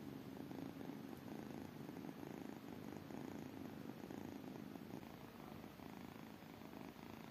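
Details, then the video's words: Continuous purring of tiny kittens, a dense vibrating rumble with a quick regular pulse, steady from start to finish and easing slightly near the end. "tiny kittens purring"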